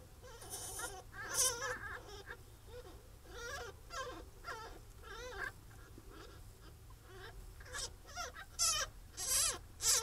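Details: First-week pine marten kits from a captive breeding project in England make irregular soft whimpering mews, rising and falling, broken by brief sharp high squeaks toward the end, over a low hum.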